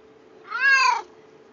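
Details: Domestic cat meowing indoors, a single harmonic-rich meow about half a second long that rises slightly then falls, with a faint steady hum underneath.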